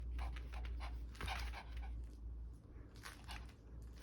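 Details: Kkul, a puppy, playing indoors, breathing in quick soft huffs: short breathy bursts about twice a second, fairly irregular, with a low steady hum underneath.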